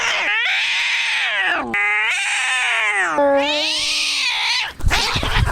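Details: Maxwell the tabby cat screaming: three long, loud, strained wails, each holding a steady, piercing tone before bending down at the end, followed by a short burst of rustling noise.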